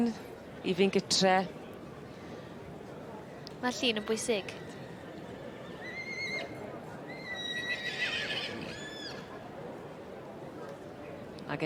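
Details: Three-year-old Welsh Cob colt giving a short, quavering whinny with wavering harmonics near the four-second mark, following an earlier brief burst; people talk and laugh throughout, with faint high whistling squeaks later.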